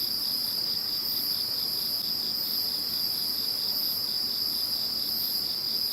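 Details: Following Typhoon No. 21, insects fill the night-like stillness with a ceaseless high trill, steady pulsing chirps underneath, and a faint upper hiss that swells and fades in regular waves.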